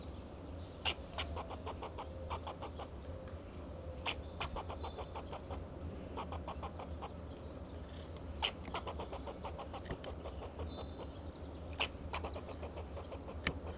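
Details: In Del Monte Forest, California, a fox squirrel on a Monterey pine sounds alarm to protect itself and its territory. Fast runs of dry chattering pulses, punctuated by loud cracking clicks, with high thin whistled notes and a low droning hum beneath.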